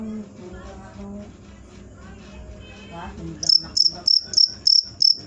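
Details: Cricket chirping after a quiet stretch of low background hum, loud high-pitched pulses repeated about three times a second in the last two seconds.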